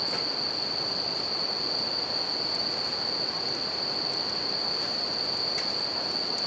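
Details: Bell crickets singing beside a campfire and a river in a natural setting: a steady, unbroken high ringing tone holds throughout, laid over the constant broad rush of flowing water, with a few faint clicks from the fire.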